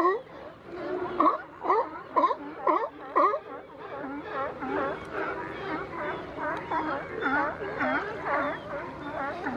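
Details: California sea lions wrestling on the Coast Guard Jetty in Monterey, California, pushing with their necks to pin opponents; harsh honking barks repeat about twice a second with overlapping callers, rough and layered, over steady background rumble.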